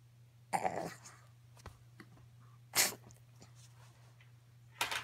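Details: Pekingese; demand call; asking to be lifted down from the couch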